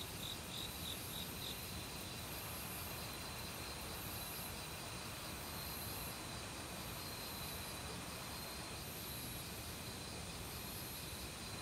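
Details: Autumn crickets in a forest, calling together with various other insects, steady high chirring bands with short pulsed trills near the start, over the constant broadband rush of a nearby mountain stream.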